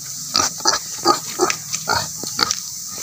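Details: Native pigs kept for breeding give a quick run of short, rough grunts and snorts, about eight in three seconds, over a steady high hiss.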